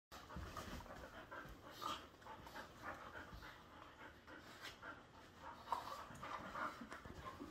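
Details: Two dogs, a 7-month-old Bull Terrier mix and a 7-year-old Airedale Terrier, playing indoors in a living room: steady heavy panting with soft growly rumbles and scuffling.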